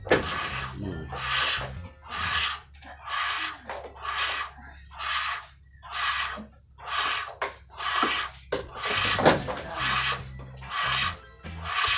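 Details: Rhythmic music with loud broadband beats about once a second over a low hum, and no animal call.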